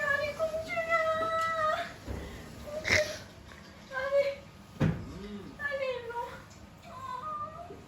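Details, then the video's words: A cat meeting its owner after three days apart gives a series of drawn-out, tonal meows, some held level and others sliding downward, spaced a few seconds apart, with a sharp knock and room noise between them. "3일만에 주인 만난 고양이의 반응"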